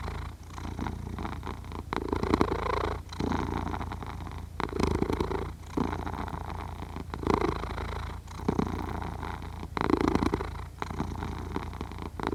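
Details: A sleeping cat purrs and snores, recorded with a Zoom H6: an even, deep rumble that swells on every breath, with dips roughly every one to two seconds across the stretch.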